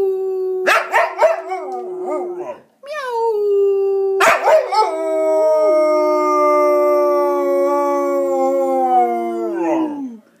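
An English Springer Spaniel 'sings' with clear, musical howls, first wavering and broken with a few yips. Then comes a long, steady tone that slides down at the end.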